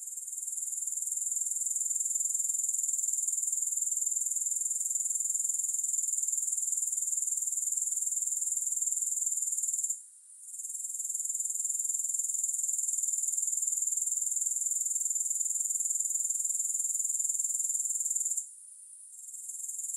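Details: Grasshoppers, recorded with no music added: a steady, very high shrill trill pulsing about four times a second. The sound drops out briefly twice, near ten and eighteen seconds, then resumes at full strength.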